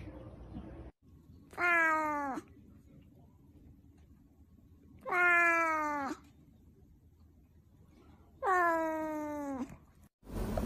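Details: Cat or kitten meowing indoors: three long, clear, slightly falling meows, each about a second long, evenly spaced about three seconds apart, with a quiet background hum.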